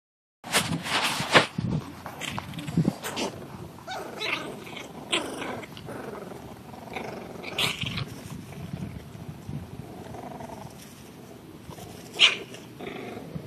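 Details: Seven-week-old English Bulldog puppies playing outside in grass for the first time; rough growls and scuffling snorts in short bursts, with a sharp yelp-like burst near the end over rustling.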